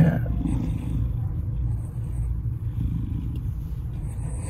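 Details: At Baltimore County Animal Services, Maryland, 07/02/2022: Salem, a surrendered black FIV-positive cat aged 2.5 years, described as lonely and depressed, gives a deep continuous purr, dense and low, with faint higher room sounds above.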